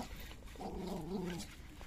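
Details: Jack Russell Terrier, one of two dogs present, giving a short tonal growl of about one second with clear harmonic layers, rising slightly then dropping, over faint room noise.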